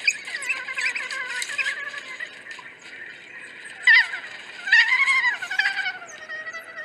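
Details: African wild dog giving high, bird-like twittering chirps with drawn-out, gently falling tonal notes, quieter at first, then two sharper, louder bursts of squeaky chirping around the fourth and fifth seconds, over a faint natural background.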